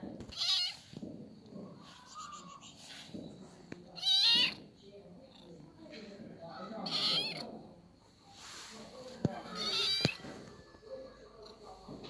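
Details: Little kitten meowing in short harmonic calls, several spread over twelve seconds, with background voices and household noise.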